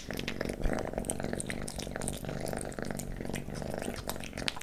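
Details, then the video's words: Kitten named Leo eating pate wet cat food and treats indoors, a steady low purr rumbling throughout beneath scattered soft wet smacks and licks. "Kitten eating Pate, Stick & Creamy Treats ASMR"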